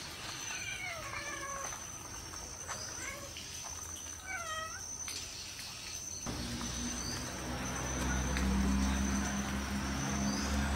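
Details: Mother cat repeatedly calling her big kitten, almost as large as herself, while trying to carry it inside; a series of short rising-falling meows in the first five seconds, then a low steady hum and background noise.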